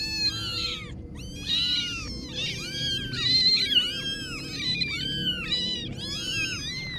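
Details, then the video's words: Several kittens cry together in dense, overlapping high meows, each a short rising-and-falling squeal, packed into bursts with barely any gap between them. "Little Kitten Adventures (New Video) - Kitty Video Meowing"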